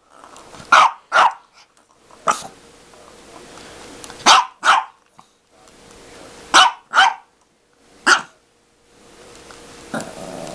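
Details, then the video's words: Dog barking while playing with a cat toy; sharp barks mostly in pairs, four bursts over ten seconds with quiet gaps and faint rustling between, a low hum running underneath. "dog vs cat toy"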